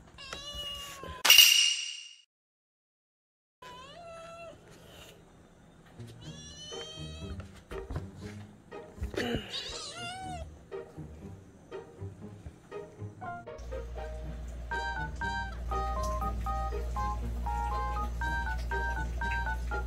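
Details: Pet kitten Uju in a mountain-village home, 41 days after adoption, during heavy early-morning rain: after a sharp loud burst and a pause, several short arched meows come between six and ten seconds, then background music enters and continues to the end.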